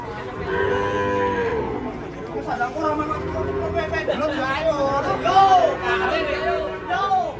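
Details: Cow on a rampage after leaving a truck and falling into a ditch: a long, flat, sustained moo opens, then shorter, choppier bellows with curving, bending tones follow amid background chatter and outdoor noise.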